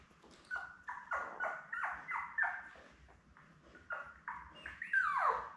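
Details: Squeaky, falling whimpers from Labrador Retriever puppies about eleven days old, one litter of seven with mother Belle, repeated roughly three times a second, ending in a louder sliding yelp.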